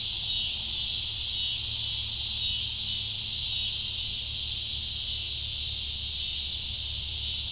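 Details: Cicadas in full chorus: an intense, even, high-pitched electric buzz that never pauses, with only a soft low background hum.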